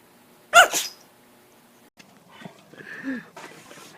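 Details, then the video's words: Puppy sneezing indoors: one sharp, explosive burst of noise, followed by quiet snuffling and a brief high whine near the end. "Sneezing Puppies"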